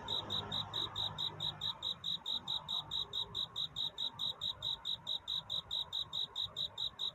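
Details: Cricket's night courtship song, clean and prominent: sharp, high, clearly separated chirps about four per second in an even rhythm, with only quiet hiss and a faint low murmur behind them.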